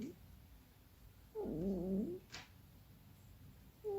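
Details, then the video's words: Keksi, a female domestic cat, making funny noises while asleep and apparently dreaming; a wavering, squeaky, meow-like murmur of under a second, with a short click after it and a brief squeak at the end, indoors and quiet. "Keksi makes funny noises while sleeping"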